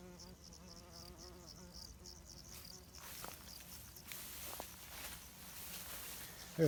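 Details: Greenhouse bumblebee droning in a low, wobbling hum for about three seconds. The hum then gives way to rustling, scraping noise with short clicks.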